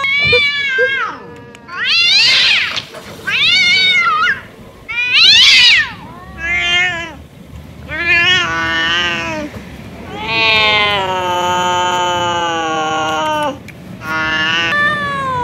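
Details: Angry male domestic cat producing a rapid series of varied cries. Sharp rising-falling meows with bright upper tones lead into longer, steadier wailing yowls, with brief silences between calls.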